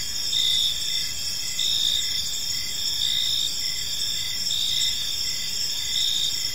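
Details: At evening in a quiet park, crickets keep up a shrill layered chirping, short bursts repeating under a ringing drone that rises and falls gently, light ambient noise.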